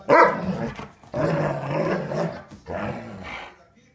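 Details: A pet dog playing and barking at its owner: one sharp bark, then long rumbling growl-like vocalisations with a rough, harmonic texture, a short pause, and a fading final growl.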